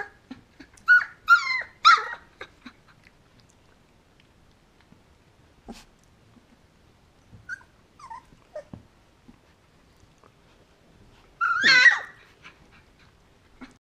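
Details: Twenty-day-old Golden Retriever puppies at play with littermates give bursts of high, squeaky yelps and squeals near the start and again near the end, with quiet stretches and small shuffling sounds between.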